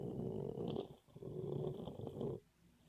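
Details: Snoring Boxer puppy, asleep and dreaming: two drawn-out, raspy snoring breaths back to back with a brief dip between, a faint wheezy whistle riding over the rumble.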